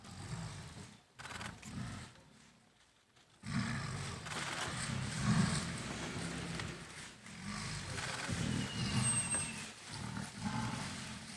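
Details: In Kanha National Park a dominant tigress threatens her 26-month-old daughter to push her off the territory. Rough, low growls start after a short pause and then run as rumbling bursts, with outdoor background noise.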